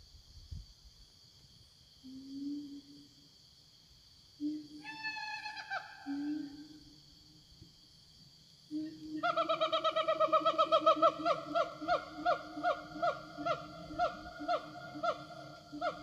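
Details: Wild siamangs roaming a forest, answering one another to call companions: soft low booming tones, then a loud burst of rapid, rising, barking notes repeated several times a second, over a steady high insect drone.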